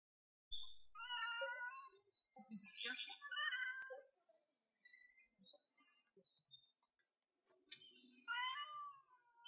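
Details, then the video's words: Domestic cat crying in a cute voice: a series of soft, high, wavering meows and chirrups, some rising and some falling, in short bursts separated by brief silences, with faint rustling in between. "Cat which cries in a cute voice : 可愛い声で鳴く猫"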